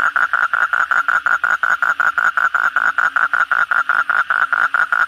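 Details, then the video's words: Nighttime frog (kodok bangkong) after a heavy downpour: evenly spaced, loud buzzy croaks repeated about three times a second, over a soft background chorus. "suara kodok bangkong pada gacor setelah hujan lebat malam hari"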